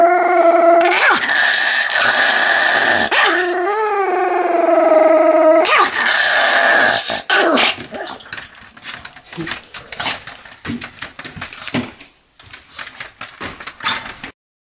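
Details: Pomeranian dog voicing long, wavering, whining howls for about seven seconds, then falling quiet as soft tapping and rustling noises continue indoors.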